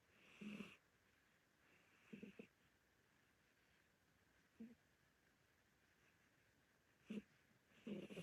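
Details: Senior orange Korean Shorthair cat asleep indoors, snoring: soft short breathy snorts recurring roughly every two to two and a half seconds, each with a faint hissy upper edge, separated by near silence.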